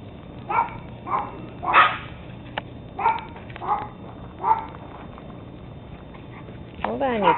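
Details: Teddy Roosevelt Terrier pups, 13 weeks old, filmed 17 October 2007: a run of sharp, bright yaps about every half second to second, followed by a brief wavering, rising-and-falling tone at the end.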